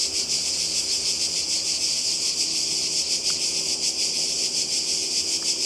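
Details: Croatian coastal cicadas on a summer day produce a steady, piercing buzz with slower throbbing beats, plus two brief faint clicks in the middle.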